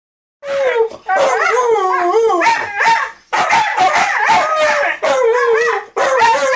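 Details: Siberian Huskies talking to each other, loud wavering howl-like yowls that rise and fall in pitch, delivered in bursts of about one to two seconds with short breaks between them.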